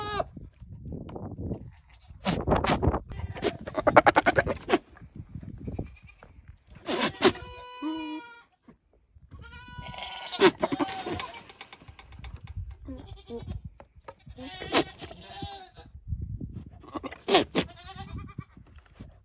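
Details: Male Nigerian Dwarf goat that escaped his pasture, calling through a fence to flirt with female goats, one in heat: repeated bursts of loud, wavering, harmonic bleats and sputtering blubbery noises, with background music and a woman speaking.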